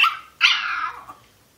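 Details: Foxie, a Pomeranian puppy, howling when its owner arrives home; a short sharp yelp followed by a longer rough, drawn-out wail that fades away, in a quiet indoor room.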